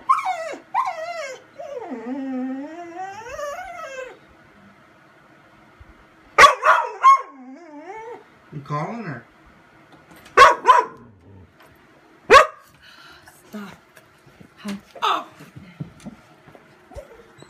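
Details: Vizsla waiting indoors for its owner calls out with falling, wavering whines, then a string of short yips and whimpers between pauses, while a woman talks to it softly.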